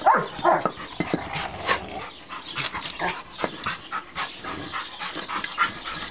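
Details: A three-year-old 120-pound male stud Rottweiler playing wildly with his toy brick gives a short, strained whine and a couple of yips, then sharp knocks, scrapes, rustling and a few faint vocal bursts.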